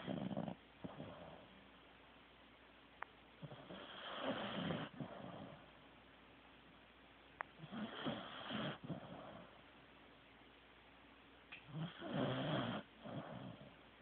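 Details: Asleep, Teddy the Corgi snores loudly and steadily, three long rasping, gurgling breaths about four seconds apart, each a rough low rumble with airy hiss, separated by near silence.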